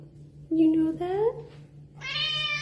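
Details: Pregnant female domestic cat at her food, letting out a loud rising meow that blends with a woman's affectionate talk, against a steady low hum.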